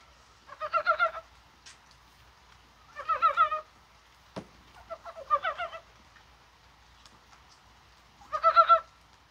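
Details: Dybowski's brown frog calling in rain on a mild, spring-like January 21 day, possibly while spawning; four short pulsed croaking bursts of about six quick notes each, repeating every two to three seconds, with a sharp click in between.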